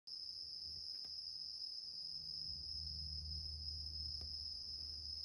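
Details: A bell cricket sings a steady, high, ringing trill without pause while a male cat sleeps on a grandmother's bed.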